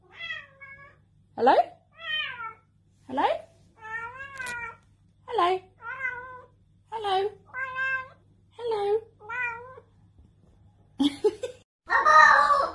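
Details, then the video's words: A talking cat giving a long run of about eleven short, bent, speech-like meows, each rising then falling, followed by a harsher, noisier call at the end in a quiet room. "Talking Cat"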